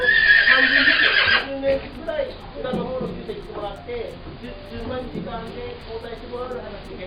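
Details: Foal whinnying, recorded 4 October 2019: a loud, shrill, wavering neigh lasting about a second and a half, then people talking quietly over soft rustling and shuffling.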